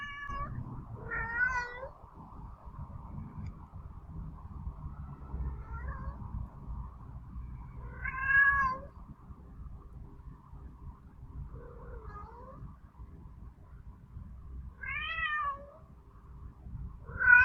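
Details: A male domestic cat (Felis catus) with healed head injuries gives drawn-out, wavering yowls at a spayed female who is not interested.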